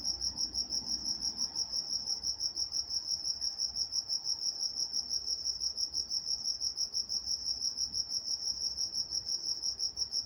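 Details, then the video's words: High, regular cricket chirps at night in Walnut, California, repeating close to three times a second in a continuous trill-like pulse, little else audible beyond a faint background hiss. "Nature Sounds Night Time Crickets in Walnut, California"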